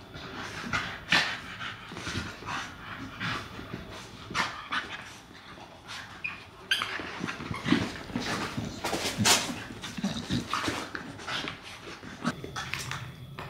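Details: Puppy trying to coax his sister into playing indoors: soft whimpers, panting and short yips mixed with scuffling, thumps and sharp clicks of rough play throughout, loudest bursts near the middle and end.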